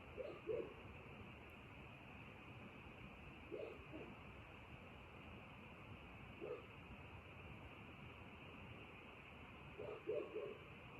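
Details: Frogs croaking after dark in short, low bursts, often paired, recurring every few seconds over an unbroken high-pitched background hum.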